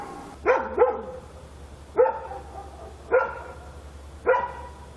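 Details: Korean night scene with a dog barking: a quick double bark, then three single barks spaced about a second apart, each with a strong, clear tone over a low steady hum.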